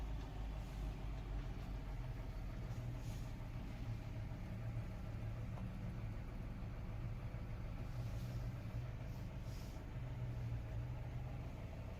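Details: A steady low engine drone of an idling vehicle or farm machine fills the recording without any animal sounds.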